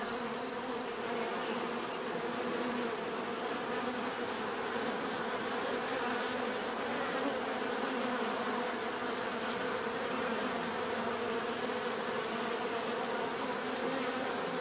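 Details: Bees buzzing in a steady, dense drone, a continuous hum layered with many overlapping wingbeats and no pauses, plus a faint high ticking thread repeating near the top throughout.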